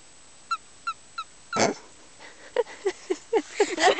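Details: A wild frog found on a forest outing gives a few short, clipped chirps, then a run of higher squeaky notes as she is lifted up, with children's voices.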